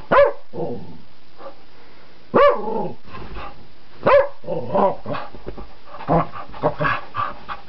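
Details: Agitated wild dog on a flower bed, teased at close range: harsh barks mixed with growly, yelping cries that sweep steeply in pitch, several bursts in quick succession, with human voice and handling noise.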